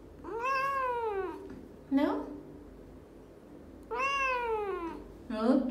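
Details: Mo, a pet talking cat who answers back with a learned 'no', gives two long arched meows about three seconds apart. Each is followed by a short, sharp rising call, in a quiet indoor room.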